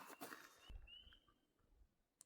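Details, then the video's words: A couple of spring peeper tree frogs in the morning during thaw season near a culvert: a single high, rising whistled peep over low rumbling background noise; at night some areas hold thousands. "What you're hearing is some spring peeper tree frogs, but only a couple."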